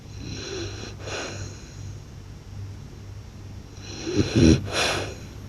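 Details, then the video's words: Sleeping blue French Bulldog gives a soft breath, then a louder, rattling, snorting snore with a low throaty vibration near the end, over a steady background hum. "หมากรนลั่นสะท้านบ้าน/French Blue Dog Snores Loud"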